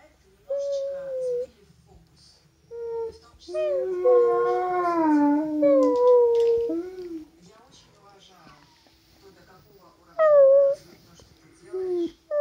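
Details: Alaskan Malamute vocalizing in a singing, crying, talking manner: short wavering howls and yodel-like phrases that rise and fall, several bursts separated by pauses, with one longer bending phrase in the middle.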